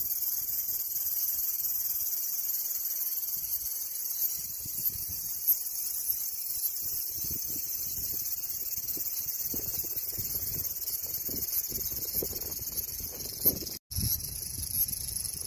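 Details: Cicada chorus, a constant high-pitched sizzling hum with layered bands. It holds steady, cut by a short silent gap near fourteen seconds, with some low background rumble.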